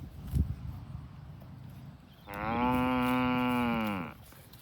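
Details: A farm cow being herded to the barn lets out one long, steady, nasal moo lasting nearly two seconds, which fades at the end, after a quiet stretch of rustling.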